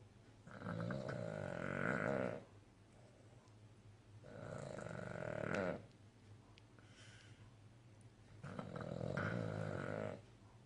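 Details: Male Cavalier King Charles Spaniel snoring while asleep and content: three long, rasping, breathy snores of about two seconds each, separated by quiet pauses of roughly two to three seconds.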